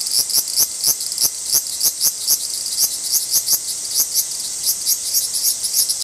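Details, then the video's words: Large brown cicada in Japan during an apparent territorial dispute, giving rapid pulsing buzzy bursts, several per second, over a continuous high-pitched drone. "アブラゼミの諍い（Dispute of large-brown-cicada ）"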